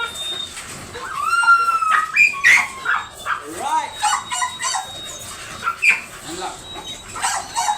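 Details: Dobermann at a stud service in Bunuan, Dagupan City, Pangasinan, giving high whines that slide up and down early on, followed by shorter scattered whimpers, with people talking nearby throughout.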